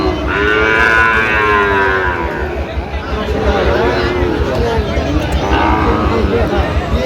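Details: Mooing of a Sahiwal bull calf amid a crowded Chittagong cattle market on 13 November 2025; a strong, rich bellow opens, a fainter moo follows near the end, with voices and crowd noise all around.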